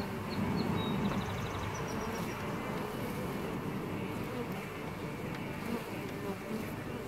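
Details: Honeybees in a hive in June, steady humming buzz from many bees, with a few faint high chirping notes early on.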